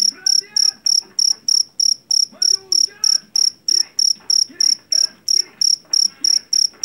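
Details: Loud jangkrik Jawa cricket from paddy fields, kept to scare off household rats: evenly spaced, high, pulsed chirps about three per second, with faint chatter and a few low tones behind.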